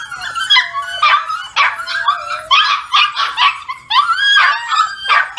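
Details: Young foster pups rousing their owner each morning with a steady jumble of high-pitched yips, rising whines and squeaky barks from several animals together.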